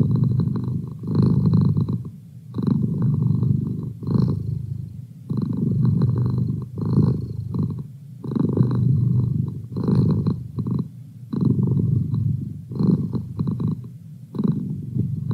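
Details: Pet domestic cat purring continuously, a deep vibrating rumble rising and falling in breath-paced surges roughly every three seconds, each surge separated by a brief softer dip.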